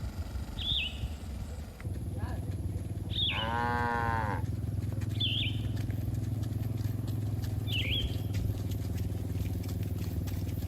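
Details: Herd of farm cattle grazing in a green field, enjoying the grass: one long, low, harmonic-rich moo lasting about a second, with a wavering pitch, amid steady low rumble and several short high bird chirps.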